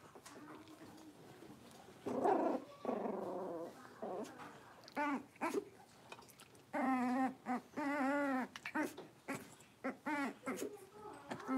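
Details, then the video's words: Playing Cavalier King Charles Spaniel puppies, blenheim litter of five in a home puppy pen: drawn-out wavering whines and moaning cries that rise and fall, coming in bursts over a soft room background. "Cavalier Puppies Livestream: Playing, Barking, and Learning"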